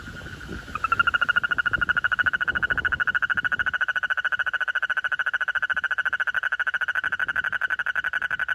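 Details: Frog making a very loud noise: after a second of low rustling, a loud, steady pulsed trill starts abruptly and runs unbroken to the end, with rapid even beats and a ringing mid-pitched tone.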